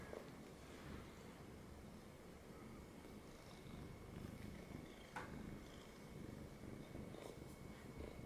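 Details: A domestic cat that has jumped up onto a person's lap purrs steadily, a low continuous rumble with soft rhythmic pulsing, quiet indoors with a faint steady tone in the background.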